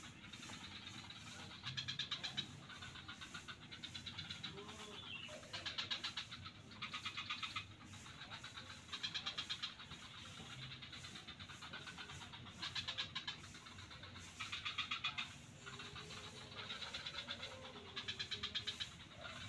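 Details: Swamp frogs near Kuta beach, Bali, call in a chorus: short clattering bursts of quick pulses repeat every second or two, several callers overlapping, with a constant low background hum.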